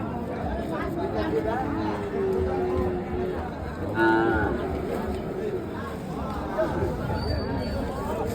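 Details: Cattle at a busy wholesale and retail cattle market where trade is slow; a low, drawn-out moo rises from the crowd and a shorter lowing call follows, over constant chatter and bargaining voices.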